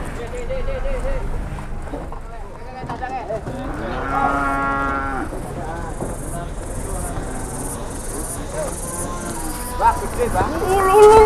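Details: Cattle at an Indonesian livestock market in 2021, described as raging; a long harmonic moo rises and swells midway, with crowd chatter, engine hum and a high whine in the background.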